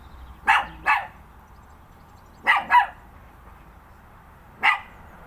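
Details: Pet dog barking at thin air, giving short sharp barks in pairs, two doubles a couple of seconds apart followed by one last bark, with a quiet room behind.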